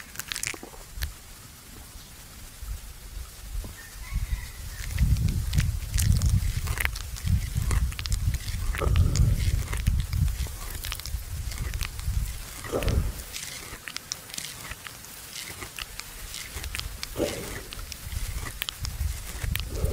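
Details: Resting buffalo at noon in a farmer's field, chewing the cud: soft, deep rhythmic grinding, about four chews a second, swelling louder through the middle, with occasional sharp clicks and light outdoor background.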